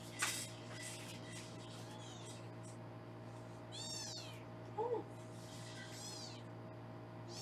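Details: Indoor foster kittens in Los Angeles during weighing give scattered high, arching mews around the middle and later, with a brief lower squeak near five seconds, all over a constant background hum.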